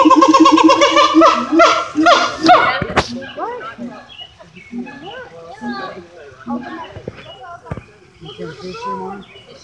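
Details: A siamang at Little Rock Zoo, Arkansas, sings loud, rapidly repeated rising whoops, then people chatter nearby.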